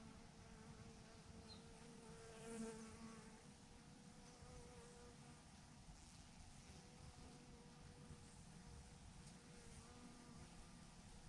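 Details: Honey bee swarm clustered in a big clump on a branch gives a soft, continuous drone, with faint wavering tones from passing bees over low background rumble.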